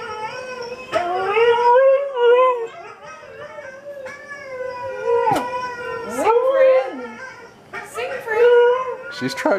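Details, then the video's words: Female Siberian Husky vocalising indoors while watching dog videos, 'singing' and 'talking' in bending, yodel-like howls that swoop up and down in short phrases, with a few clicks and background voices. "NORA THE HUSKY HOWLS"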